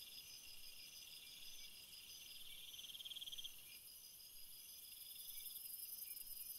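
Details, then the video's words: Shrill continuous chirping of many crickets, several high trilling voices overlapping, one fast ticking trill rising in loudness then stopping, while a very high sizzling band grows stronger toward the end. "crickets sound"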